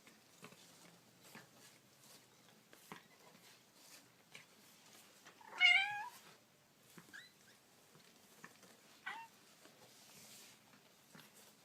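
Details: Kitten indoors letting out one loud, drawn-out meow that sweeps down in pitch, then two much fainter short squeaks a few seconds apart, over soft rustling and tapping.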